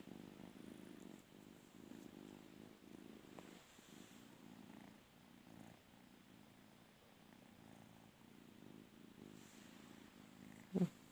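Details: Domestic cat wanting to sleep on its owner's bed, purring steadily: a low rumbling drone with soft rhythmic pulses running through the whole stretch, faint room noise behind and a sharp brief click at the very end.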